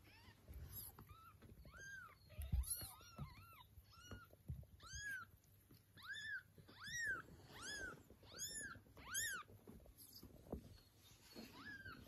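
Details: Kittens and their mother cat, the mother demanding her young back and carrying them off; steady series of short, high, arched meows roughly every half to one second, starting faint and growing louder, with low thumps and room noise.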